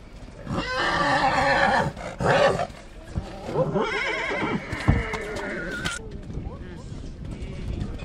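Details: Mare in Satu Mare, Romania, whinnying: a stacked, bleating burst early on, then a longer wavering, high whinny that trembles up and down before cutting off, with voices talking over and around it.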